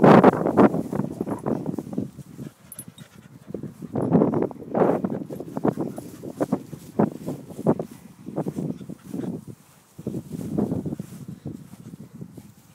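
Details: English Springer Spaniels Lara, four years old, and Lottie, 21 months, on a morning walk; bursts of hurried breathy panting come in uneven runs separated by short quiet gaps, with faint scuffing steps.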